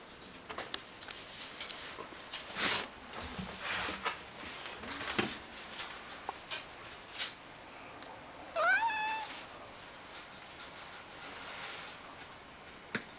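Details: Ragdoll cat, second day of rest after castration, somewhat sluggish but regaining energy; a long quiet stretch of faint indoor rustling broken by one brief, sharply rising meow.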